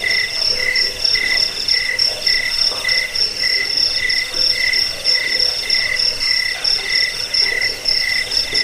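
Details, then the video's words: Loud cricket chirping meant to scare off rats and help birds learn song; quick bright chirps roughly every half second, stacked with a higher rhythmic chirp and a steady underlying buzz. "Suara jangkik"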